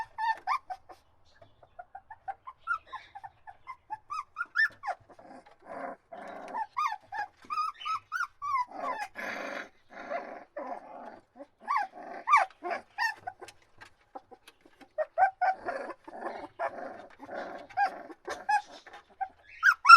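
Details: Several puppies crying together, with thin rising whines and squeaks mixed with rougher, noisier yelps, in bursts across twenty seconds with brief gaps.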